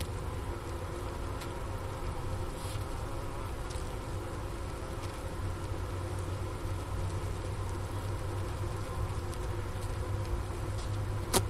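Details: Honey bee colony in winter at the Ohio State University Wooster campus, around 4 PM on January 16, 2024, at 15 °F, recorded near the inner cover hole beside a sugar brick: steady low droning hum with faint scattered ticks and clicks.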